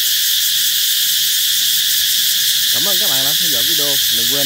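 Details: Cicada chorus welcoming the approach of summer, a constant piercing buzzing drone, joined near the end by a short series of wavering, voice-like tones that rise and fall.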